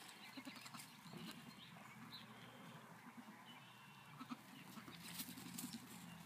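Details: Nigerian Dwarf goat kids on a farm in Wapato, Washington, on 8 May 2017, give short, soft bleats over a steady low background rumble.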